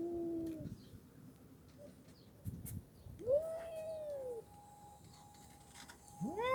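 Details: Domestic cat from the duo Mickey and the red cat, indoors. Three separate meows are heard: a short low one, a rising-then-falling drawn-out cry, and a sharp upswept call at the end. A faint steady hum runs underneath, with occasional light knocks.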